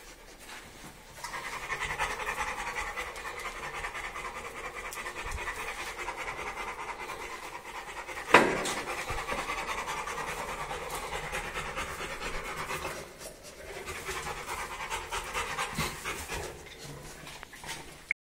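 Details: Dogs playing on a farm, one a small rescued female once abandoned by a road in a forest; steady rapid panting fills the clip, with a sharp knock near the middle and brief pauses in the breathing.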